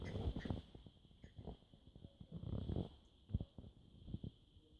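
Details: French Bulldog asleep and snoring: low, rough, rumbling bursts in uneven clusters, each swelling and fading over about half a second, with quieter breathy gaps between them; a steady faint hum runs underneath.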